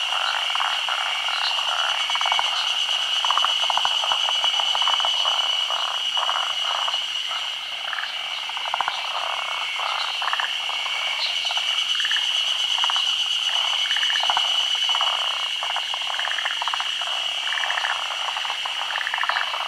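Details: Japan's endemic forest green tree frog spawning at midday during the rainy season, on tree branches over still water. Many frogs croak in short rattling pulses, overlapping constantly, with a continuous shrill tone behind them.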